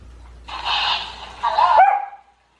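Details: Family Golden Retriever indoors, arguing with the household hamster: one drawn-out rough bark rolling straight into a second louder bark that bends into a brief whine before stopping.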